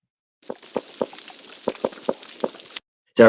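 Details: Underwater hydrophone recording of a reef croaker giving low, knocking croaks, a series of short pulses spaced unevenly a fraction of a second apart.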